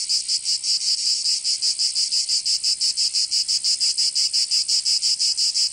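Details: Cicadas in the southern French region of Provence during summer give a strident, high hissing song, pulsing regularly about three times a second without pause, with no other sounds.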